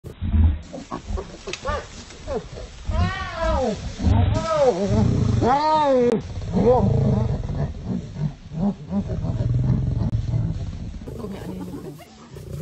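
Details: Lioness rushing quickly to save her sister; deep rumbling growls with several rising-falling moaning roars mid-clip, overlapping harsh snarls and low noise throughout.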